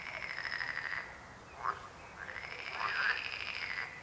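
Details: Frog croak chorus with a long buzzy pulsed rattle, a short sharp note in the gap, then another extended trilling croak rising in intensity.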